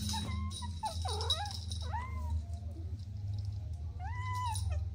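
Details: Kittens playing with their mother and two siblings give soft, arching meows, three short calls each rising then falling, over a steady low hum and faint rattling.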